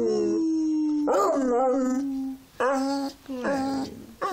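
A beagle howls in long, wavering tones, then breaks into shorter, rising yowls.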